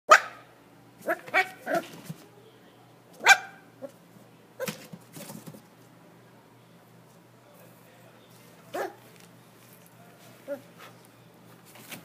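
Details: A Corgi at a pet shop in Nagano, Japan gives sharp, broadband barks in irregular bursts, with quieter yips between them.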